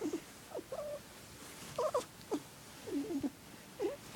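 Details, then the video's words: Trilling purr of Squirrel, a male pet cat who makes this girly warbling noise only for one person in his family; clear, repeated chirrups that bend up and down, roughly one every half second. "Weirdest cat purr ever"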